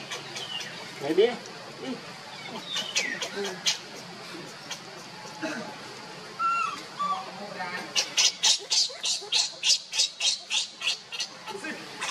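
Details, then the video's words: Baby monkey Leo cries and screams loudly to call its mother Libby. The clip opens with scattered, varied squeals, then turns to a rapid run of harsh, shrill bursts, about three per second, over the last four seconds. "cute baby monkey Leo crying and screaming loudly to call mommy monkey Libby"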